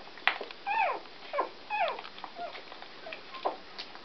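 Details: Scottish Terrier puppies born on 13 November 2011 giving high, falling squeaky whimpers and yelps, several overlapping, in quick irregular bursts about once a second indoors.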